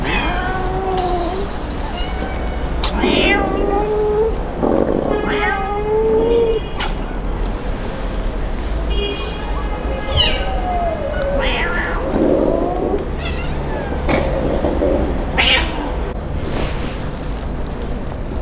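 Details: Abandoned kitten crying in the street after its owner left it: several drawn-out, wavering meows, some bending upward, repeated across the clip over steady low background rumble and voices.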